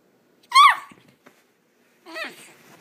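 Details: A Wheaten Terrier puppy upset about having a bath gives one sharp, loud rising-falling yelp, then a softer, shorter cry two seconds later in a small indoor room.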